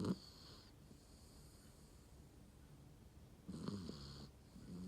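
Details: Sleeping Shiba Inu giving a brief snort at the start, then a quiet pause before a longer buzzy, rattling snore breath near the end, with a soft wheezing tail.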